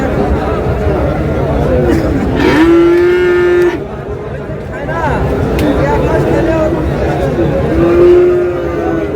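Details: Friesian and cross-breed bull calves being sold at Raniganj market, Dinajpur, 26 July; one full, even moo of about a second rises from the crowd noise, followed later by a shorter second low, with voices throughout.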